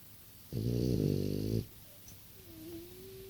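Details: French Bulldog, aged six, gives a single coarse, vibrating snore of about a second, followed by quiet breathing and a faint, low nasal whistle.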